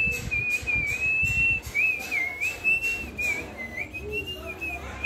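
A Yorkshire Terrier puppy gives a thin, high, wavering whine that barely pauses.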